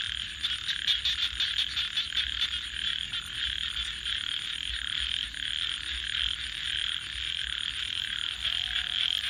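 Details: Frogs calling at night: a dense chorus of rapid, overlapping croaks forms a steady raspy wall of sound, with a thin continuous high-pitched pulsing whine above and a faint low rumble beneath.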